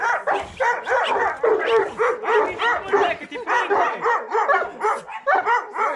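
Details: Bucovina Shepherd Dog at Paltinu barking in rapid, high, yelping bursts, almost without pause for six seconds, the loud rhythmic barks rising and falling in a steady run.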